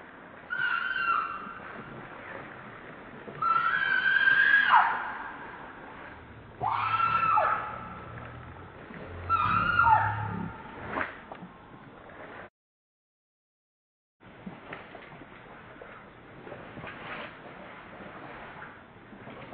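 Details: Hungry baby monkey Lucie cries while trying again and again to get milk: a series of loud, strained screeching wails, each rising then sliding down, roughly every three seconds, then a brief silence and quieter rustling.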